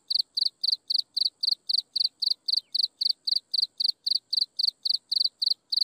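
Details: Chirping insects at sunset, a continuous run of evenly spaced high, pulsed chirps, close to four per second and very regular, over a thin constant high-pitched whine.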